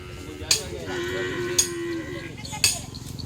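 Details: Cattle training at the Asemanis field in Pamekasan, Madura, East Java, Indonesia, ahead of a kerapan sapi bull race: one drawn-out, slightly falling moo lasting about a second, with sharp clacks roughly once a second and faint background chatter.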